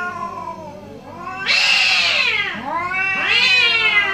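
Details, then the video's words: Morning back-and-forth between two orange cats, loud drawn-out wailing meows that swell and fall, one long strained cry followed by another rising one, with calls overlapping. "2 Orange Cat Morning Debate"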